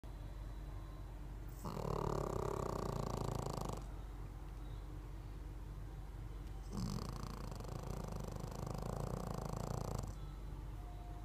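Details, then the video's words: Pekingese dog snoring while asleep: two long, rough, rattling breaths, each about two seconds long, separated by quieter pauses, with a buzzy low rumble and a raspy upper hiss. "Snoring Pekingese"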